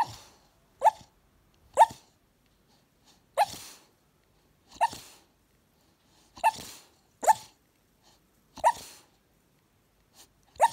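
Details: Staffordshire Bull Terrier puppy asleep on a couch, dreaming with eyes half open, letting out short muffled woofs and yips at irregular intervals, about nine soft bursts over eleven seconds in a quiet room.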